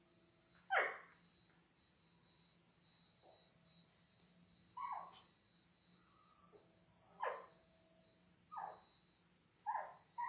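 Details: Six 10-day-old Labrador Retriever puppies, born January 18, 2022, on an indoor puppy cam, whimpering and yipping in short squeaky bursts every second or two, with a steady electrical tone humming behind them.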